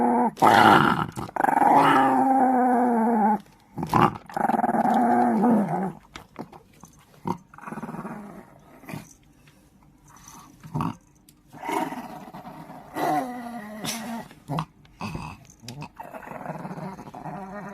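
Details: Chihuahua growling: two long, sustained, throaty growls in the first six seconds, then shorter, quieter bursts of growling and rasping broken by pauses and soft rustles.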